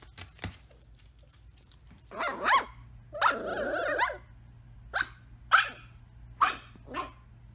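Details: Dachshund, a wiener dog, barking: a pair of quick yaps, then a harsh drawn-out bark and a run of spaced sharp barks, indoors in quiet surroundings.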